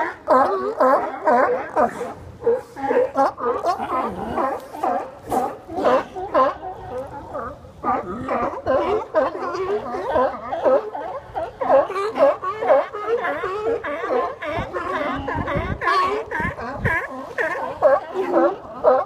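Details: Crowded sea lions lying on docks at Westport, Washington, keep up a noisy chorus: rapid, overlapping harsh barks, about two per second, with occasional drawn-out moans among the many voices.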